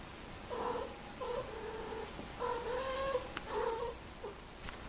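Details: Domestic cats mating, making odd sounds: a run of drawn-out, wavering mid-pitched yowls, four main cries each lasting about half a second to a second, separated by short pauses in a quiet room.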